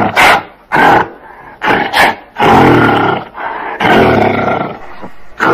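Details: Gorilla giving harsh, broadband roaring bursts, about five loud blasts separated by short quiet gaps, each lasting under a second.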